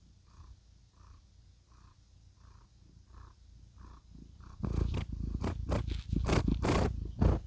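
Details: Contented cat purring in satisfaction: a low, rhythmic rumble pulsing roughly twice a second, soft at first beneath faint regular beeping tones, then turning loud, close and raspy for the last few seconds.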